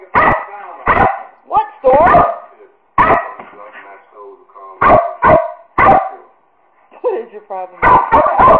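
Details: American Eskimo Dogs barking and yipping in short sharp bursts, with high whining notes between them, over a person's voice.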